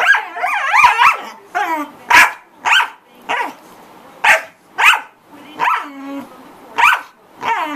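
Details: A corgi making a lot of noise, with a run of whining, wavering yelps at the start, then sharp, separate barks about every half second to second.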